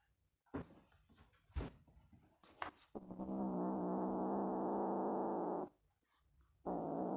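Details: Zorro, a kitten guarding his toy, growls like a dog at those who come near it: a long steady low rumbling growl lasting nearly three seconds, resuming after a pause, with a few knocks and rustles before it indoors.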